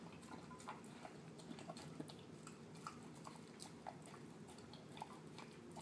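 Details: Male terrier mix dog at home eating canned food mixed with kibble; continuous quiet chewing with wet smacks and sharper clicks every half second or so, steady low mushy rustle underneath.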